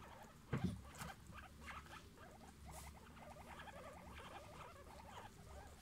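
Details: A family of guinea pigs: one low thump, then a run of short, evenly repeated squeaky notes in quick rhythmic bursts, with light patter and a steady low hum behind.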